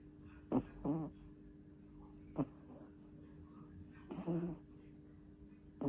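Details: Two-month-old puppy snoring in its sleep, with loud wheezy, fluttering snorts, some split into two pulses, repeating at irregular short intervals over a faint steady hum.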